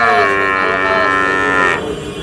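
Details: Sahiwal breed bull calf in Dhaka, Bangladesh, 16 March: one long, steady, drawn-out moo held for nearly two seconds before cutting off, with men chatting in Bengali beneath it.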